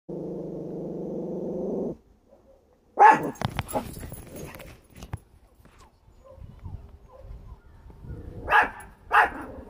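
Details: A male Chihuahua gives sharp, angry barks in scattered bursts at a big dog.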